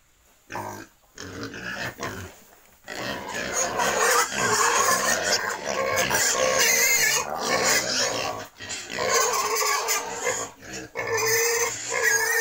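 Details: Wild and domestic pigs at a breeding farm in Cambodia keep up a near-continuous, dense chorus of shrill, rasping squeals and rougher grunts, pausing only briefly, with people talking now and then.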